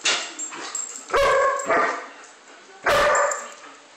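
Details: German Shepherd at play giving two loud, harmonic barks about 1.7 seconds apart, each with a short follow-on yelp, between quieter rustling and background noise.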